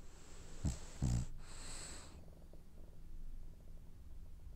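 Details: Snoring French Bulldog in a dream: two quick nasal snorts followed by a longer hissing exhale lasting about a second, then near-quiet with a faint low drone.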